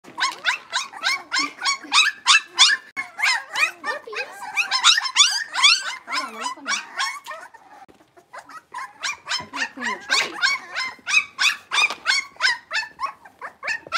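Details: Six-week-old blenheim Cavalier King Charles Spaniel puppies, a litter of five born on New Year's, in an indoor puppy pen; rapid high-pitched yips and squeaky whines repeated about three times a second, with a brief pause midway.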